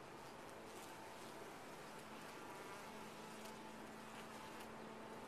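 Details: Honey bees in a top-bar hive, a dense steady hum with faint tonal bands and scattered brief clicks throughout.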